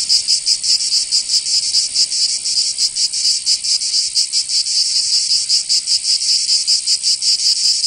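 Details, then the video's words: Summer song of cicadas in the south of France, Provence: a strident high buzzing wall of sound with uneven rapid throbs, overlapping singers, and no other noises. "Canto Cigarra"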